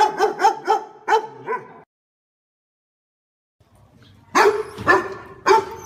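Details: Pet dog yapping in a fast run of five barks, a two-second silence, then three louder barks.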